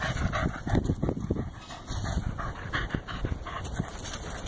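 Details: Corgi playing fetch, breathing in quick, breathy, rhythmic pants that come densest in the opening second and a half, then continue softer and more irregular over low rumbling thuds and handling noise.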